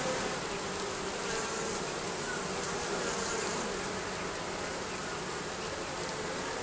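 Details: A colony of bees under roofing gives a steady, layered drone that holds an even level from start to finish.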